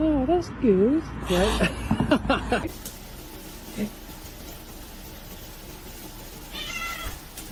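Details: Domestic cat in a funny-cats compilation giving a short run of rising-and-falling meows, several in quick succession, over the first two seconds. A person's voice overlaps, and quiet room noise follows.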